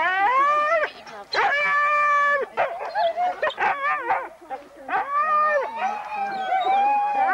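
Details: Huskies gathered for a November 2001 sled race in the Forest of Dean, recorded on VHS: loud sustained harmonic howls and yowls with bursts of choppy barking between them, several dogs calling at once.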